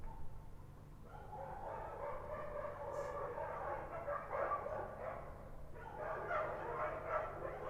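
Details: Kochi dogs on a Kabul street at night, heard more distantly: a steady, overlapping barking chorus over a low background hum, with louder flurries toward the end.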